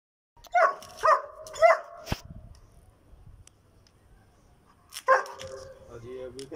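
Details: German Shepherd barking during an attack: three loud, harsh barks about half a second apart, a quiet pause of about three seconds, then another burst of barking fading into lower yelps.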